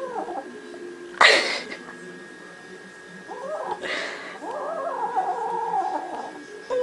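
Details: Domestic cat from a funny cat collection, giving wavering, yowling caterwauls that rise and fall. Sharp thuds or clicks break in near the start and middle, over a constant faint whine in the background.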